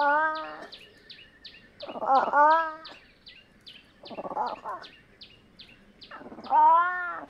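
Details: Fishing cat (Prionailurus viverrinus) calling four times in about seven seconds, drawn-out nasal wails with strong stacked harmonics, some bending upward at the end, while quick high-pitched ticks run steadily behind.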